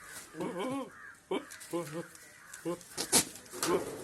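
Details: Goat giving a funny-sounding call: several short, wavering, quavering bleats over about four seconds, separated by brief pauses, with some clicks and noise in the background.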